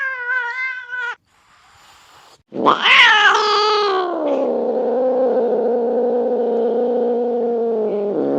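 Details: Cat giving a short tonal meow, then after a pause a loud harsh yowl that rises sharply and settles into a long, steady, throaty wail.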